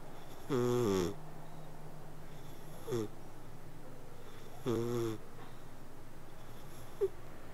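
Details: Sleeping cat purrs with snore-like breaths: one full wheezy breath, then a short faint one, another full breath, and a tiny squeak at the end, spaced irregularly.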